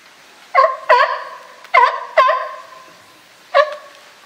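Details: California sea lions in a group at Higashiyama Zoo and Botanical Garden, Japan, 12 September 2023, with Felix the group's boss; five loud honking barks with stacked harmonics, two quick pairs then a single bark.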